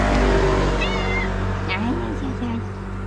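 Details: Tuxie, a female cat, meows happily on seeing her people: a short high-pitched mew, then lower wavering meow-like sounds, over a steady background hum and a person talking to her affectionately.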